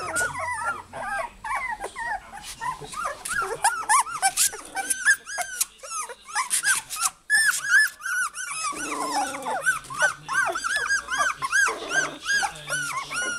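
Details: Multiple Goldendoodle puppies calling for their mother, producing a dense, continuous clamour of high-pitched squealing yelps and whines, with short lulls and some low grumbling growls beneath the overlapping cries.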